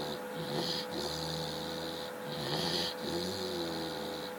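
A Chow Chow snores in rough, breathy cycles with a low rumbling undertone.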